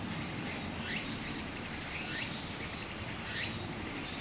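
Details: Cicada singing in summer beside a flowing stream in Japan; short rising buzzy phrases repeat roughly once a second over the steady hiss of running water.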